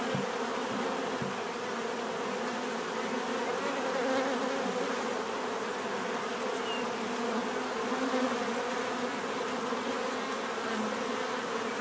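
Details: Bees in a natural setting, offered for relaxation and sleep: a dense, steady swarm drone with layered humming bands and a constant level throughout, with no other clear sounds.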